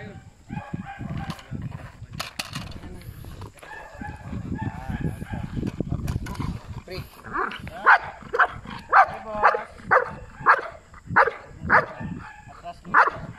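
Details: Bite work training session with Belgian Malinois Asyong: the first half is mostly talking and scuffling noise, then the dog breaks into a run of regular, punchy barks about twice per second until the end.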